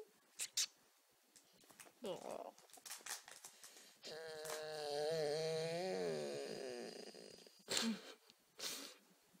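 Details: Golden Retriever puppy named Abby, six months old, making funny noises in her sleep: a long wavering whine-moan lasting about two seconds, stacked harmonics, framed by soft snuffles and clicks indoors.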